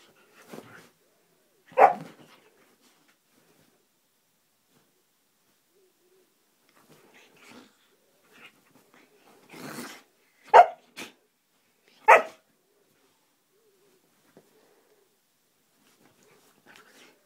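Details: Siberian husky named Roxy playing, giving short sharp barks spaced irregularly, a loud pair near the start and two more later, with softer grunting sounds and long quiet gaps in between.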